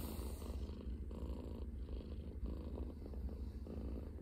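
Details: Scottish Fold cat lying on an arm used as a pillow in the morning, purring: steady low rumbling pulses, continuous and soft, close to the microphone.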